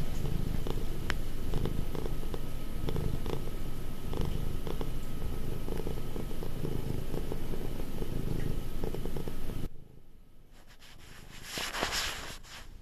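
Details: Affectionate, clingy domestic cat almost five years old purring: a steady, deep rumbling with fine rapid pulsing that runs for about ten seconds, then cuts off abruptly, leaving quiet room tone and a short soft rustle near the end.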